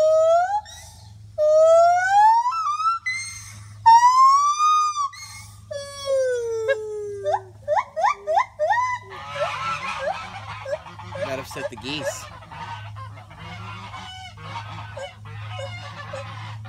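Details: Gibbons calling loudly from trees at a monkey rescue centre give wailing whoops that climb steeply in pitch, then break into quick, accelerating hoots. Later the calling grows rougher and more scattered over a low steady hum.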